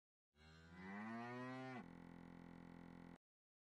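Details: Punganur calf lowing: one drawn-out moo rising steadily in pitch with rich harmonics over about a second and a half, then breaking into a flat, steady droning tone for another second before stopping abruptly.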